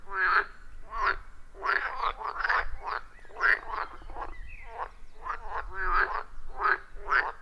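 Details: Frogs calling at a wild forest pond, recorded with an iPhone 14 Pro and Shure MV88+: loud rasping croaks repeated in a rapid rhythmic series, several callers overlapping, with a low rumble underneath.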